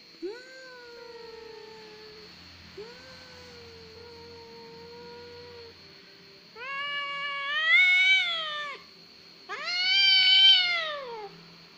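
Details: Cat that cries easily, giving two long, level, moaning meows followed by two louder, arching wails that rise and then fall. The calls come roughly every couple of seconds, and a steady high whine sits in the background.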